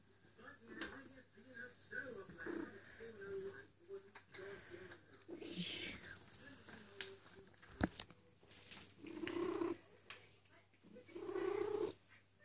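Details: Eule, a female cat in heat crying for a mate, mixes low purring with drawn-out yowls that grow louder toward the end, one sharp knock midway and soft rustling of fur.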